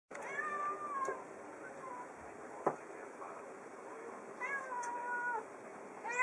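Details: A female pet cat, delighted with a new scratch board rubbed with a catnip (matatabi) tea bag, gives two drawn-out, harmonic meows about a second each and begins a third at the end, with soft rustling between calls.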